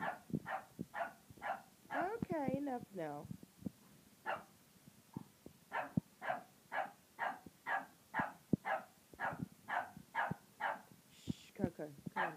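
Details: French bulldog, uncertain about a tiger toy, gives a brief whine and then a long, steady run of short barks about twice a second. Quiet human speech runs underneath.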